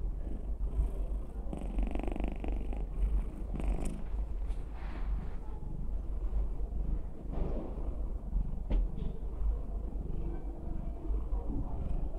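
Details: Six-year-old female domestic cat with a very loud purr: a continuous low rumble, stronger in the first few seconds, then steadier, with faint rustles and small clicks.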